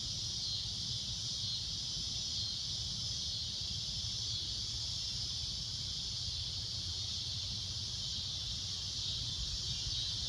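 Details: Loud shrill cicada droning at sunset, one unbroken high-pitched buzz held evenly throughout, with a low rumble of background noise underneath.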